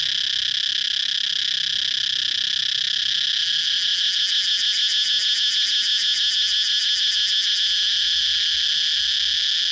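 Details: Cicada singing a loud, shrill, continuous high buzz that turns into a rapid throbbing pulse from about 3.5 to 7.5 seconds, then settles back to a steady drone.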